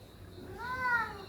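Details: Kitten among six reunited kittens, indoors, giving a single drawn-out meow that rises then falls, a clear harmonic tone over faint room noise.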